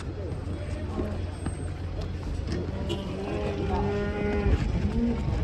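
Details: A rather wild-acting cow coming off a truck lets out a long, even, droning moo in the second half, held for about a second and a half over constant background rumble and murmuring people.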